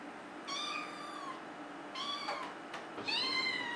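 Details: Maine Coon cat, a female, from a kitten-to-adult compilation, gives three high, clear meows, drawn out then slightly falling, the last one rising and strong, with faint clicks between calls.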